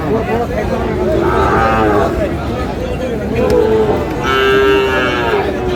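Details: Sahiwal breed bull calf at a Sirajganj cattle market, Bangladesh, lowing in two long, swelling moos with rich harmonics, over steady crowd chatter and market bustle.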